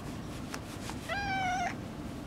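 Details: Orange tabby cat, a shy brother that has been hiding and appears after half a month away: one drawn-out meow lasting over half a second, steady then slightly falling, against a quiet low hum.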